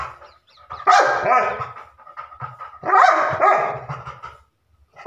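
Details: Labrador Retriever barks in two loud, rasping bursts about two seconds apart, each trailing off into breathy, panting noise, with a fresh bark beginning as the recording ends.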